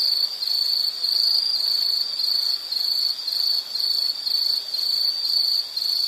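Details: Insect buzzing in a steady high trill, its loudness dipping briefly several times across six seconds while the pitch stays constant.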